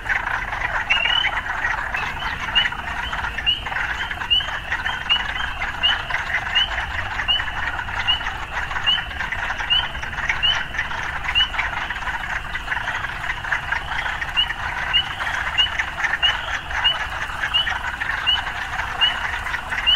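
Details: Frogs amid urban surroundings keep up a dense, throbbing chorus, punctuated by brief upswept chirps repeating about every half second for the whole stretch.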